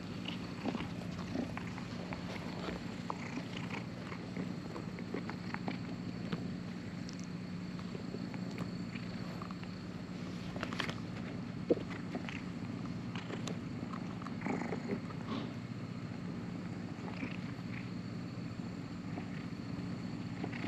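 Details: Stray cat close by at a cat island ferry terminal: continuous deep rumbling purr, with occasional soft ticks and chewing-like noises scattered on top and a light background hiss.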